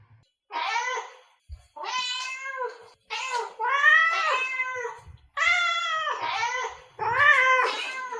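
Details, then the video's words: Domestic cat meows used to attract other cats: six drawn-out, harmonic meows of varied length, some wavering in pitch, separated by short silences. "Meows to ATTRACT Cats (Meow Sounds to Attract Cats). Cats Meowing Sound Effects. Kitten Sounds"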